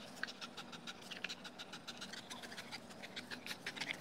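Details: Dogo Argentino, a two-year-old male, tired and happy after tug play with a new Tether Tug toy: steady rapid panting breaths with scattered scratchy clicks and rustles throughout.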